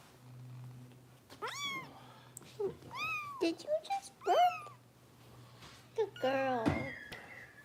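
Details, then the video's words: Bottle-fed foster kittens in Los Angeles with Kitten Rescue volunteers cry in a rapid run of high, falling meows, several overlapping near the end, over a low steady hum, with a person speaking briefly. "Harper Bottle Feeding"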